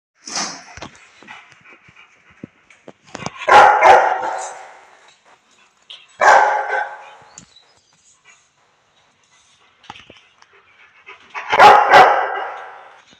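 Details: Aggressive Rottweiler on Koh Samui, Thailand, giving deep, loud barks in spaced bursts, three strong ones roughly every four seconds, with a few quieter sounds between.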